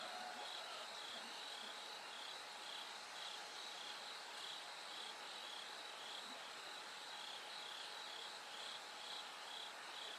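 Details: Bell cricket song in the hours before dawn: bright, high-pitched pulsed trills recurring in a regular rhythm above a thick insect chorus, with occasional soft low knocks.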